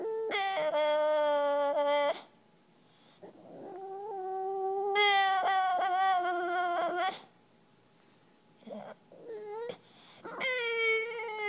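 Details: A male English Bulldog gives sustained, nasal whining moans of about two seconds each, with shorter yelping whines between, pleading for someone to play frisbee with him.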